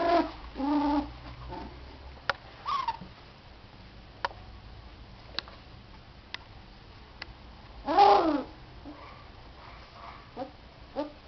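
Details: Border Collie puppies, 24 days old, at the Border Aller kennel, just after they began leaving the whelping box; short harmonic whines and whimpers come in bursts at the start, near three seconds and loudest near eight seconds, with scattered clicks and taps between.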